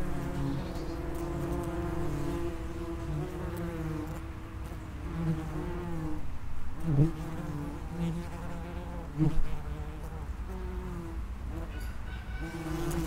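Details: Underground nest entrance of Vespula vulgaris, the common wasp: a dense droning hum of many wings with harmonic bands drifting up and down, a few brief louder passes close by.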